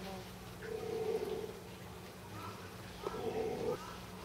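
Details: Baby golden takin, born 9 March 2014, walking after its mother Hoi at Tama Zoological Park in April 2014; two drawn-out, nasal, mid-pitched bleats about two seconds apart, each under a second, over a steady low hum.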